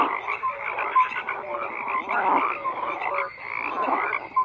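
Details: Numerous frogs croaking in a dense, unbroken chorus, the rough calls swelling and fading in waves, with occasional short clear notes cutting through.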